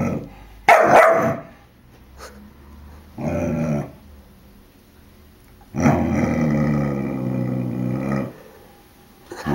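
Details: Four-month-old puppy Jack growling and barking at a balloon: one sharp bark, then a low harmonic growl, and a longer drawn-out growling bark lasting over two seconds, with quiet pauses between.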